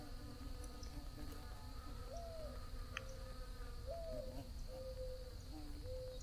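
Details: Bees buzzing under a blue sky, several faint wavering hums that shift in pitch as insects drift about, over a steady low background rumble and a thin constant high tone.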